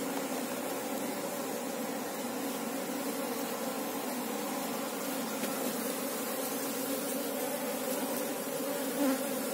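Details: Asian honey bee colony, Apis cerana, giving a thick continuous hum as a keeper looks for the queen; the steady low drone barely varies, with a tiny knock near the end.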